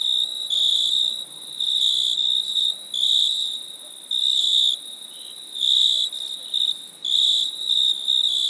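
Several crickets sing together, giving high, pulsing trills in bursts of about a second. Beneath them runs a continuous shrill hum from more distant insects.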